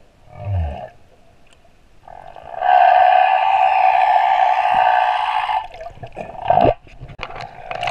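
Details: Moorea male humpback whale song: a brief low downward grunt, then a long loud buzzy moan of about three seconds, followed by a short swooping cry.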